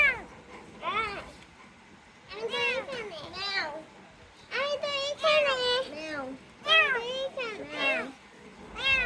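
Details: Insistent mewing from a rescued kitten, a run of bright, wavering, high calls in close bursts, some long and quavering, others clipped, separated by short quiet gaps.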